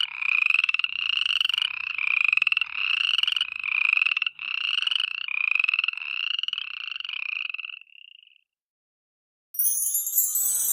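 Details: At night, a frog gives a run of raspy, trilled croaks, each under a second, repeated steadily before stopping.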